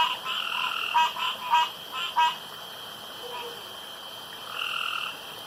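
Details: Frogs calling around a pond after dark: a quick run of short, harsh croaks with bright upper tones across the first two seconds, then fainter, drawn-out notes trailing off in the background.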